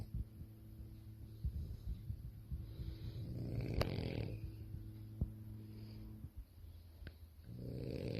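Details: A sleeping French Bulldog female, lying with her toy after a tiring day, snoring: low, rumbling, buzzy breaths that come in long, uneven waves, with a few soft clicks.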